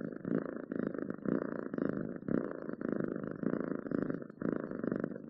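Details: Close purring of a domestic cat, a throaty vibrating rumble in alternating inhale and exhale phases, each lasting under a second, nothing else audible.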